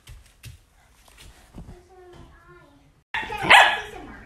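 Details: Young Shetland Sheepdog growing up gives a few thin, high whimpering whines, then one sharp, loud bark near the end, with soft human speech in the background.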